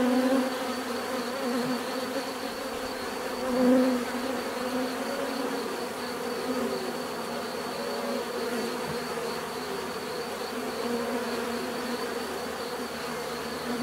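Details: Steady droning hum of numerous bees, with a single bee passing close and loud near the fourth second before the swarm's even buzz continues; a thin high constant tone runs underneath.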